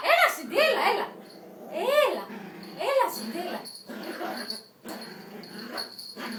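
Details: Yorkshire Terrier in an angry mood, sharp arched yelping barks at roughly one-second intervals, then fading into softer grumbling sounds, with a person speaking in the background.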